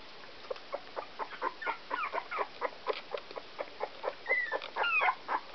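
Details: Sixteen-day-old Whoodle puppies, a Whippet crossed with a Miniature Poodle, give soft repeated squeaks about twice a second, broken near the end by a couple of thin, falling whines.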